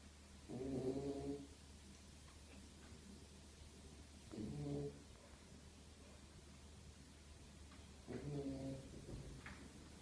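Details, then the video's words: Sleeping Beagle called Zion snoring without pause: three rasping, low snores spaced about four seconds apart, each a brief rough rattle, over a faint steady indoor hum. "ビーグル犬 ジオン ひたすらいびきをかく"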